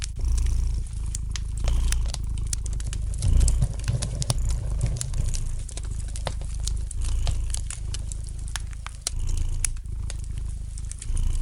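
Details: Domestic cat purring gently beside a crackling fireplace: a deep, steady rumble that swells and fades with each breath, while sharp pops and snaps of burning wood scatter across the whole stretch.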